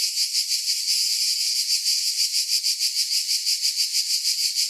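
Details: High, hissing buzz of cicadas, steady in loudness and gently throbbing at about three pulses a second, heard alone without other animals or background noise.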